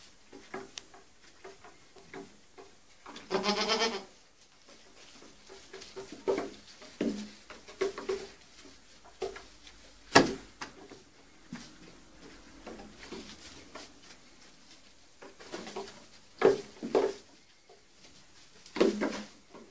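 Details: Baby goats playing on a see-saw: repeated short wavering bleats with stacked harmonics, several loud bursts spread across the clip, separated by quieter knocks and thumps from the teeter totter and scuffling hooves.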